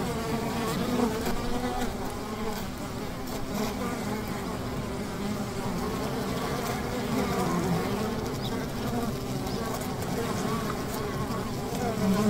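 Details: Many honey bees buzzing at a riverside hive make a thick, continuous drone that rises and falls slightly in pitch as individual bees drift nearer and away.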